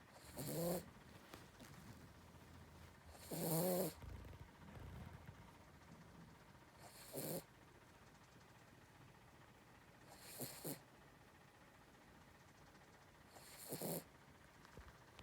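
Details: Snoring from a sleeping dog: five rough, breathy snorts at steady intervals of roughly three seconds, quiet room background.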